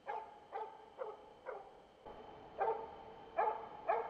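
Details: Mature champion Jämthund moose-hunting dog Rambo baying at a found moose, about 400 metres away, autumn hunt; steady sharp barks roughly every half second, nine in a row, the last few louder, over a quiet forest background.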